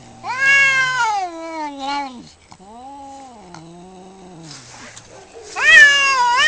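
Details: Domestic cat during a fight: long, wavering, moaning yowls that bend down in pitch, with a quieter, lower drawn-out wail in the middle and a sharper rising yowl at the end.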